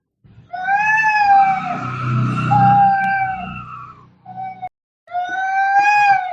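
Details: Angry fighting cat: a long, steady, tense yowl over a low rumbling background, a short break, then another level wail.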